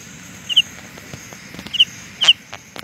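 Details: Carolina ground cricket giving three separate high double-pulsed chirps spaced over a second apart, with faint clicks and rustling in the background.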